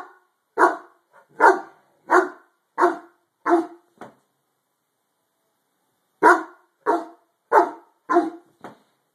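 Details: Harlequin Great Dane barks indoors at something under a bed: a steady series of six loud, harsh barks about every two-thirds of a second, a two-second pause, then five more in the same rhythm.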